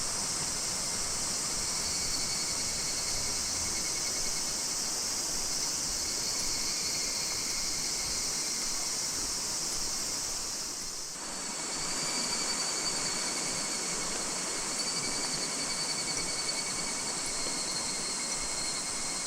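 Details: Higurashi cicadas calling in August 2026 from Minoh Park, Kawachinagano or Mount Koya, Japan: a dense, steady ringing with banded, pulsing tones and a brief dip near the middle, over a constant high hiss from many insects.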